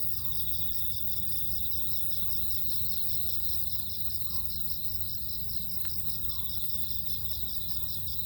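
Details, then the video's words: Crickets in autumn, a steady high pulsed chirping repeated in rapid even beats throughout, over a constant low rumble of background noise, with one sharp click midway. "쉿~~가을을 재촉하는 귀뚜라미 소리 들어보세요"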